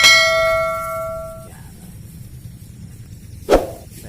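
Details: A single ringing bell tone fades over about a second and a half, followed by quiet background and one sharp knock, with no animal voice.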